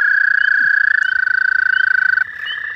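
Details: Toads trilling at night, hundreds calling together: a loud, steady, fast-pulsed trill held for over two seconds, overlapping with a second trill at slightly different pitch.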